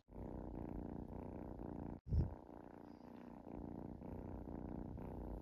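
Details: Kitten relaxing and purring close up: a dense, continuous low vibrating rumble with quick regular pulsing, a brief dropout near two seconds followed by a soft bump, then the purr carries on evenly.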